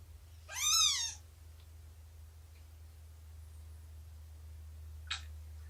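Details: Morning of 24 September 2017, cat heard during nursing and playtime with Shelby, a roughly two-year-old abandoned mother, and her kittens near three months old; a single bright, rising-then-falling mew, then a brief click in quiet surroundings.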